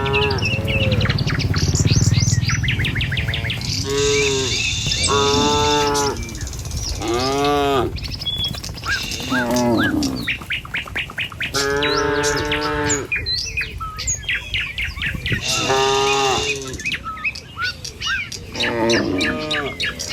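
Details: Tame cattle herded along a village road in the morning on their way to a field to feed. Several arching, drawn-out moos about a second long sound among constant chirping birds and low rumbling background.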